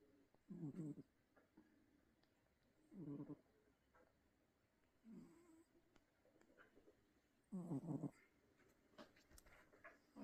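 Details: Loud snoring from a sleeping pet cat: several short, rasping breaths at uneven intervals over ten seconds, mixed with soft rustling and faint clicks.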